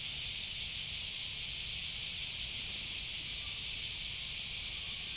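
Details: Cicada, known in Japan as semi, producing a continuous loud hiss-like buzz that holds steady for the full five seconds without breaks, the sound concentrated high in pitch, with faint low rumble underneath.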